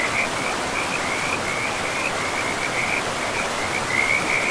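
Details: Frogs calling beside a forest river: an unbroken chain of quick, rattling croaks in short bursts, set against constant broad hiss of flowing water.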